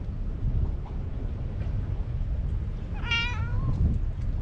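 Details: Stray cat on a cat island, meowing yet keeping its distance: a single short harmonic meow, wavering then sliding downward, heard against constant rumbling wind noise.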